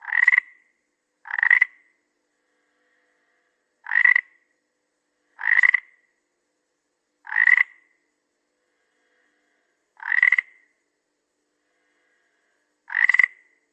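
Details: Seven abrupt, raspy frog croaks come at uneven gaps of one to three seconds. Each is a clipped, mid-pitched burst with a buzzy edge, and the calls are separated by complete quiet.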